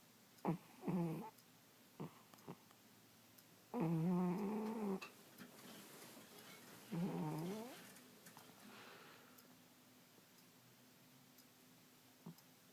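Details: Sleeping kitty snoring indoors: buzzy, harmonic, low snores, each about a second long, come in uneven bursts with short clicks between them, then fade into quiet room hum.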